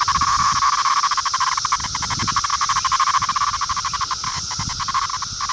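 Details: Male 17-year periodical cicada of Brood 2, recorded in Virginia in summer 2013, making its noise when picked up: a loud, harsh buzzing rattle with rapid pulsing throughout, steady and continuous, with handling rustles beneath.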